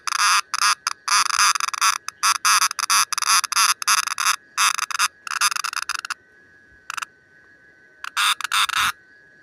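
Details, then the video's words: Green cicada calling in loud broadband buzzy bursts, rapid pulses in bursts of half a second to a second, broken by short gaps and a longer pause, with a steady faint tonal hum underneath. "Amazing Sounds of a green Cicada."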